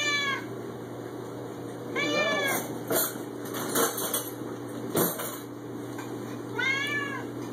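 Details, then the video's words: Six-year-old male Siamese cat meowing loudly at home; three drawn-out, rising-then-falling meows at the start, near two seconds and near the end, with a steady electrical hum and a few knocks between. "Siamese cats are beautiful, smart, and LOUD!!"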